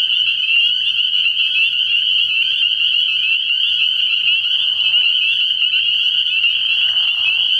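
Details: Spring peeper chorus from a frog pond at night early in the year: countless high, piercing peeps form a steady shimmering band, while two lower, rougher frog calls rise briefly underneath.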